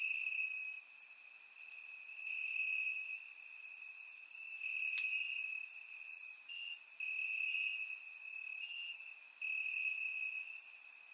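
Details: Warm summer night in Bulgaria, crickets calling from the grass: one continuous high-pitched trill swelling into brighter stretches every few seconds, layered with scattered short, very high ticks and buzzes from other insects.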